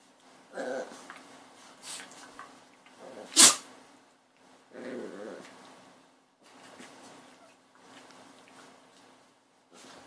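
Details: Puppy making brief whiny yips, one early and one midway, separated by a sharp sneeze-like burst, with faint soft grunts and quiet gaps through the rest.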